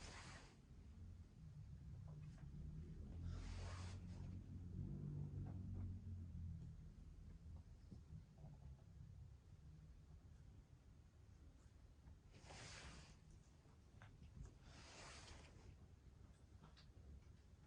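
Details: Pekingese x Shih Tzu mix dogs, a family of three (Shiro, Shii and daughter Shiyu), flat-faced pets sleeping deeply together during a nap indoors; a low rumbling snore swells and fades, with brief soft hissy rustles between.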